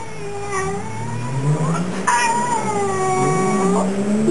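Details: Lassie, a nine-to-ten-year-old female Fox Terrier cross, talks back to her owner with drawn-out, wavering whines that rise and fall in pitch. A car revs nearby, and a person asks whether she is hungry.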